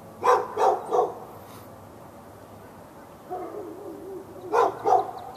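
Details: A dog barking at the neighbouring dog through a fence in Raleigh, North Carolina, on February 15, 2012. A fast triple bark is followed by a pause, a low drawn-out whine, then two more quick barks.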